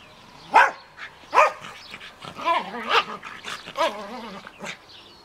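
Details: Playful barking from an Australian Terrier tussling in a garden with a Münsterländer friend: a few loud yips, then quicker, rougher barks and growls about once a second.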